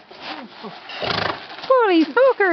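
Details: Gypsy Vanner horse, worked up, neighing back at a horse ringtone played on an iPhone; loud whinny bursts that fall in pitch, repeated three times near the end, after a person talks softly to him.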